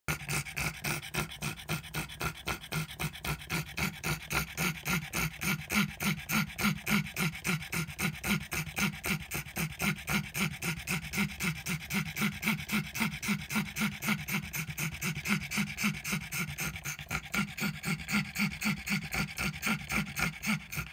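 A pug wheezes in fast, regular, raspy breaths, nearly four each second.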